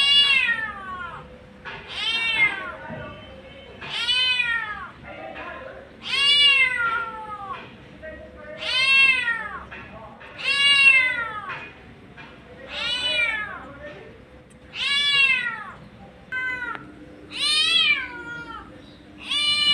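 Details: Street-dwelling mother cat calling her kittens, giving a steady series of about a dozen arched, whining meows, rising then falling in pitch, repeated every second or two against a low steady hum.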